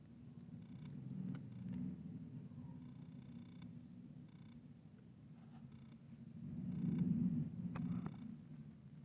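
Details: Domestic cat purring while a kitten plays with a big adult cat: a steady low rumble throughout that swells louder near the end, with scattered soft rustles and light taps from play.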